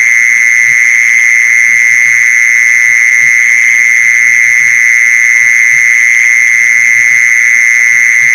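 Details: A continuous mole cricket trill used as a lure for mole crickets. It is an even, unwavering buzz at one mid-high pitch with faint higher overtones, over quiet irregular low thumps.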